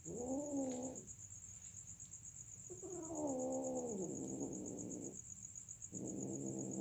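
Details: Mating cats yowling in three separate harmonic wails, each about one to two seconds long, wavering and dipping in pitch, with short quiet gaps between; a constant high-pitched whine sits in the background.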